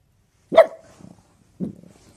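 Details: A Boston terrier gives one sharp, high bark followed by softer low grunting sounds, then another short low bark-like huff near the end; otherwise quiet.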